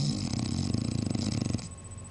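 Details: English Bulldog snoring indoors, recorded 28 February 2009: a low, rattling, rapidly pulsing rumble for about one and a half seconds, then a quieter breathy tail.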